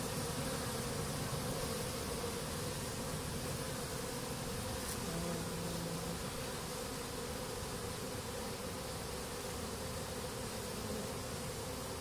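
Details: Honey bees after honey harvesting, on the rooftop of Yanagase warehouse, 21 October 2012: a dense, continuous low buzz of many bees, steady throughout with a humming band near the low-middle range.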